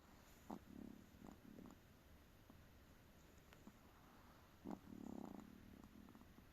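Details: A tired Chihuahua snoring indoors: soft, rasping low rumbles in short clustered bursts, a pair near the start, then a longer grumbling stretch after a sharp snort, separated by quiet pauses with faint room hiss.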